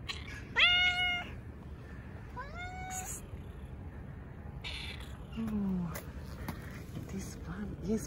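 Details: Stray cats gathering around a person petting a tuxedo cat in a park: two clear, rising-then-level meows in quick succession, then softer calls and a low falling note, with a woman talking quietly over them.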